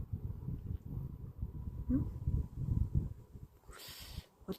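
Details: Sleeping Maltese dog, an eleven-year-old 7.5 kg pet, snoring: low rumbling breaths repeated about three times a second, with a brief high rustle near the end.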